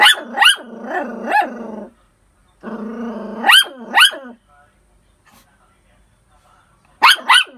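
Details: Poodle barking in quick pairs of shrill yaps, with whining, growly stretches between them. A pause follows, then a final double bark.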